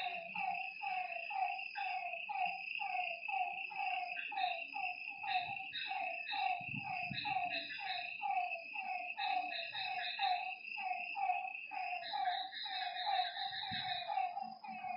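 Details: Lakeside frogs at night give rapid, downward-sliding croaks that overlap as several voices answer one another. A steady shrill hum runs above throughout, and a brief low rumble comes midway.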